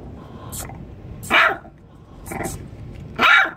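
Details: Two puppies a few weeks old, trapped under a 40-foot shipping container at a shipyard, give tiny high yelping barks, three short sharp yips spaced about a second apart over a faint background.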